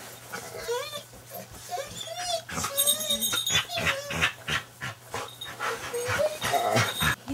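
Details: Pet Golden Retriever with a Terrier mix, greeting owners back from over a week away, 2005. Rapid high whines and short moaning howls repeat through the clip, mixed with clattering, jingling and voices.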